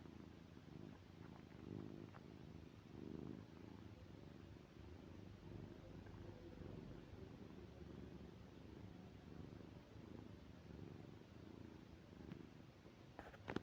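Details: Tom the cat, asleep, gives low, raspy snoring breaths that rise and fall in a slow, even cycle. A short clattering noise cuts in at the very end.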